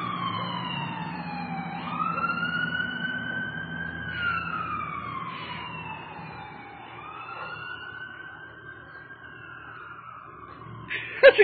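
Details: A wailing siren sweeps slowly up and down with bright overtones, fading slightly before a short loud clatter at the end.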